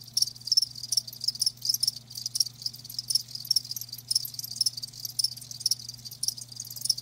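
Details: High, trilling chirps from live crickets pulse in short clustered bursts at a brisk, slightly irregular pace, with a quiet electrical-sounding hum low in the background.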